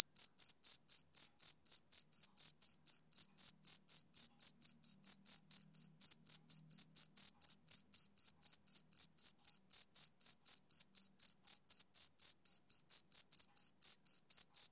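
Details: Continuous shrill chirping of a male cricket on a summer evening, short bright pulses at about four per second, unbroken and steady throughout with no other sounds.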